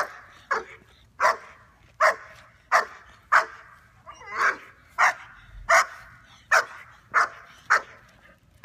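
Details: A 5.5-month-old female German Shepherd during off-leash training in Virginia, reacting to other dogs: sharp loud barks repeated roughly every 0.7 seconds, a dozen in a row, steady and even.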